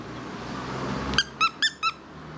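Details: Pet wire-haired Fox Terrier indoors, waiting for his toy, gives four short high squeaky whines in quick succession, evenly spaced, each slightly falling in pitch, after a stretch of low room noise.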